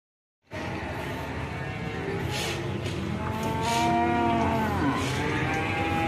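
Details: Large Ongole crossbred bull brought by young men in Prambanan, lowing in a long, drawn-out moo that swells midway, over steady crowd chatter and background noise.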